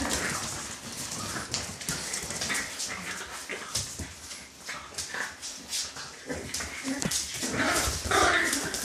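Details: Puppies from a dog litter moving about amid dense scratching and clicking, a few thin whining squeaks rising near the end, with soft murmured speech underneath.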